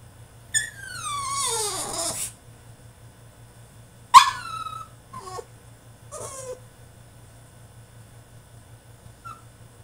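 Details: Tantrum from a caged French Bulldog: a long falling, squealing whine, then scattered short yips and whimpers growing quieter, with stretches of near silence over a faint hum.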